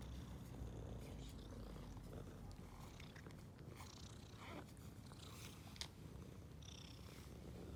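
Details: Ginger and white stray cat, female, purring happily on seeing people after being given food; a steady low rumbling purr runs throughout, with faint scattered clicks and rustles above it.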